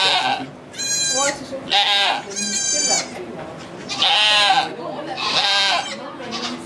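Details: Goat bleating during the birth of two kids at the Chalet du Ruisseau sugar shack near St-Benoît, Quebec, Canada, recorded on an iPod Touch 4G. Five loud, wavering bleats in bursts of about half a second to a second, with quiet French talk between them.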